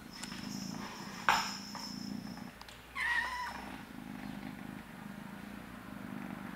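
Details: A blue British Shorthair kitten, playing with its litter, purrs steadily, with a sharp tap and one brief chirping meow partway through.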